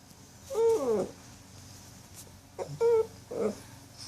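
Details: Jill, a puppy settling down to sleep, gives two short whimpers, each a steady squeaky note that bends down, with a small yip between them in a quiet room.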